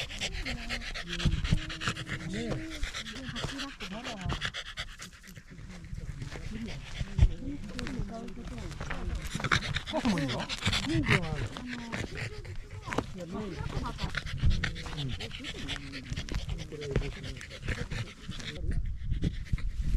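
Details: Pembroke Welsh Corgi out on a sunny early-autumn hike up a rural hill overlooking the Ina Valley in Japan, panting rapidly and steadily throughout, mixed with close human voices and occasional handling noises.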